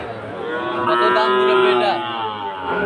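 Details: Sahiwal bull calves raised for fattening, at the Aftabganj cattle market in Dinajpur on 4 March 2023: a drawn-out, harmonically rich lowing moo that swells and holds, with market chatter and crowd noise underneath.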